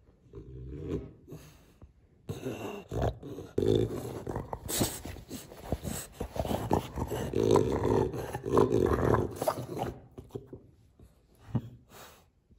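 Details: Pet French Bulldog indoors in a small room, grumbling and growling in rough, low rumbles with snorting bursts across most of the stretch, louder in the middle and fading toward the end.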